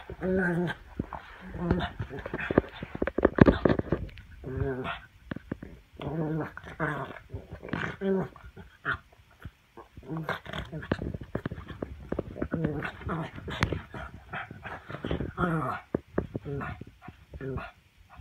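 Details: A black pug during chin-grabbing play gives rough, snorting growls and grunts in dense, uneven bursts, with a person's voice heard throughout.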